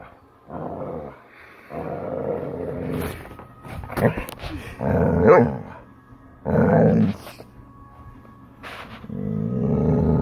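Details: Chocolate Labrador Retriever Bella, in a mood to play, gives a series of loud, roughly one-second grumbling howls separated by short pauses, with some clattering and light indoor noise between them.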